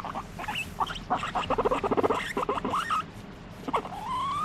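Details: Pet guinea pig, squeaking while demanding to be petted: rapid chattering run of short squeaks, then rising whistled squeals near the end.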